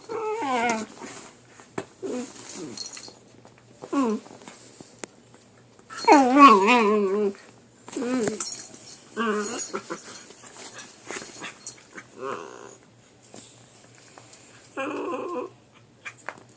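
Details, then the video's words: Two puppies fighting indoors over who gets to chew: a series of short wavering whines and growly yelps in separate bursts, some long and quavering, with quiet gaps between and faint room noise. "Puppy makes weird noises"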